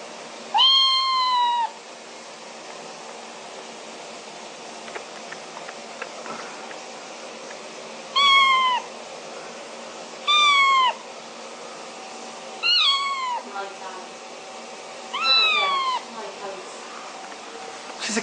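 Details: Little pet kitten giving a series of short, high meows, one longer cry first, then four or five brief downward-sliding mews spaced a few seconds apart, with faint room noise and soft clicks between calls.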